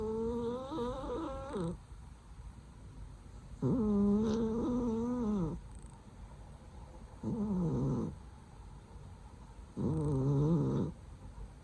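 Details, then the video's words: Sleeping cat snoring loudly; four long, tonal, slightly wavering breaths of one to two seconds each, spaced about three seconds apart, in a quiet indoor room. "So loudly her snore！！！！！"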